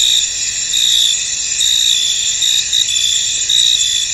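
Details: Crickets in a foggy field give a brief burst of dense, high-pitched trilling, with several louder chirp pulses standing out above the continuous shimmering chorus.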